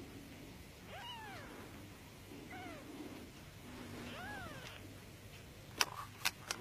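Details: A female Norwegian Forest Cat kitten one week old, born very small, cries with three short, high, arched mews, then a few sharp clicks and knocks close by.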